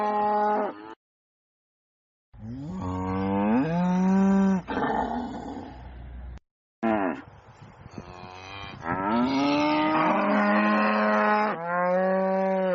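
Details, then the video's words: Cows mooing loudly on a farm, a sequence of long bellows with rising, wavering pitch and rough, hoarse edges, broken by two brief silent cuts. "VACA MUGINDO - SOM DE VACA MUGINDO - VACA BERRANDO ALTO"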